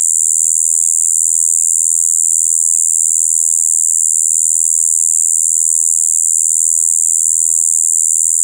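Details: Shibuiro kayakiri katydid recorded on 2 April 2023 during its spring breeding season, giving a continuous, monotonous high-pitched buzz "bii" with mixed high and low tones, unbroken and steady throughout, with no other sounds.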